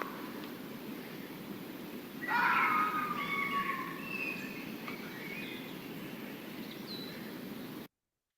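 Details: A red fox in New Hampshire gives one harsh, drawn-out, high-pitched scream that slides downward. Foxes use this scream in defending their territory and call to each other at night.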